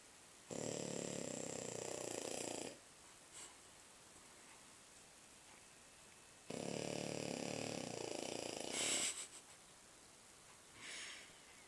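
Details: French Bulldog asleep indoors, snoring loudly in two long rasping bursts about two seconds each, separated by quiet pauses, with a brief soft snort near the end.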